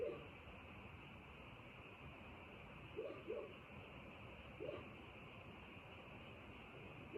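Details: Frogs at night: a handful of quick, low croaks, including a doubled note, separated by quiet gaps, with a steady high hum throughout.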